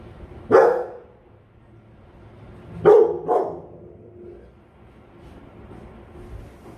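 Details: Rottweiler on guard duty barking: one deep bark, a pause of about two seconds, then two quick barks in succession over quiet background.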